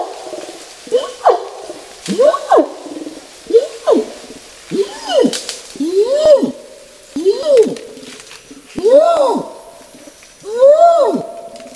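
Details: Orangutan producing a rhythmic chain of swooping hoots, short and rough at first, then broader arched tones, repeated roughly every second over the whole stretch.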